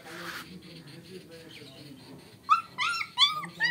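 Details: German Shepherd puppy, 35 days old, quiet at first with faint murmurs, then several sharp high whimpering yelps in the last second, with people talking nearby.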